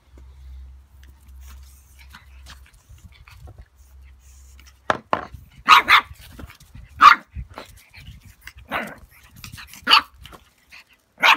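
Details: Darcy Vader, a 10-week-old pug puppy, play-fighting with a fake pug: the first half is quiet, then about eight sharp, yappy barks and yips come in irregular bursts, with soft shuffling between them.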